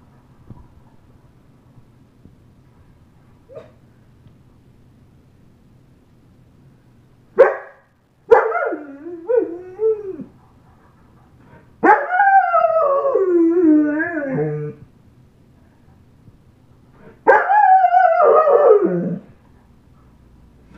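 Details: Eight-and-a-half-month-old German Shepherd howling: after quiet, a short yelp, then wavering harmonic howls of about two to three seconds each, falling and quivering in pitch, separated by pauses.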